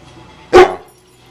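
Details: A two-year-old male American Pit Bull Terrier doing tricks at home gives a single short, loud bark between spoken commands and praise from his owner; the room is otherwise quiet.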